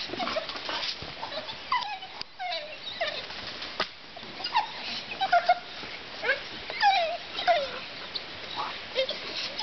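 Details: Pit bull dog during attack training, giving high, thin whimpering yelps: short tonal cries that fall in pitch, repeated irregularly through the stretch, over a steady background hiss with faint voices.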